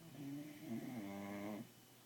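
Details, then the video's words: One long snore from Freddie, a sleeping Bulldog puppy at home at night: a fluttering, nasal drone that wavers in pitch for about a second and a half, then fades into room hum. "Puppy Bulldog Snoring"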